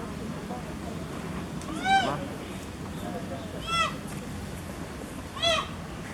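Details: Little giant panda Jin Shuang, Chengdu Panda Breeding Center, failing to climb a wooden platform and complaining; three short, arched harmonic squeals spaced nearly two seconds apart above steady background hubbub.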